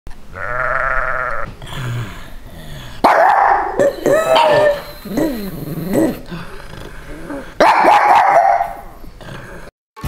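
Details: Two pugs in Santa costumes bark in sharp, wavering yelps, defending their territory against sheep whose loud, quavering bleats open and recur.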